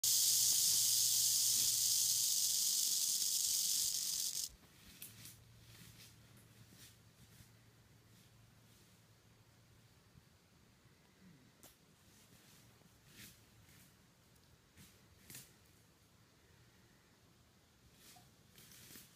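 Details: Black phase timber rattlesnake in eastern Kentucky rattling: a loud, continuous high-pitched buzz lasting about four and a half seconds, then stopping abruptly, followed by quiet background with faint clicks.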